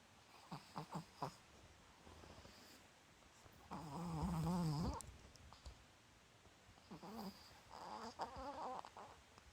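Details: Marotan, a seven-year-old female Chihuahua, sleeping with eyes half open and tongue out: a few short rough snorts early on, then a long raspy, wavering snore mid-way and more drawn-out snores near the end.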